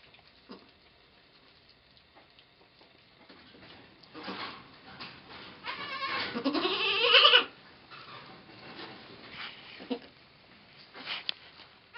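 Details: Nanny goat delivering twins on 2 November 2011: quiet rustling and short calls, then one long loud rising, wavering bleat in the middle, followed by brief softer calls.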